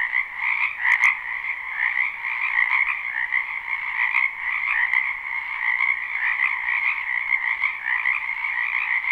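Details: Frogs in a spring wetland behind a house, live recording without looping: a dense continuous chorus of overlapping trilled croaks, bright bands around mid-high pitch, steady throughout with a few sharp clicks near the start.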